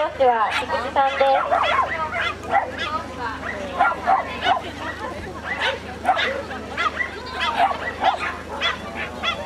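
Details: Cairn Terrier barking during an agility run at an Akita agility club debut. Sharp yips and barks come in quick irregular bursts over steady crowd chatter and people talking nearby.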